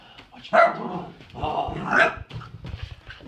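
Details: Indoor pet dog objecting while its toys are taken away and a broom is used, letting out two loud harsh barks about a second and a half apart, with a person talking to it over the noise.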